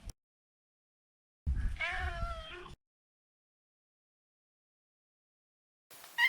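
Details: Pet Maine Coon, a neutered male, making a single rough, wavering meow of about a second, with low rumbling noise beneath it and a brief sharp sound at the end.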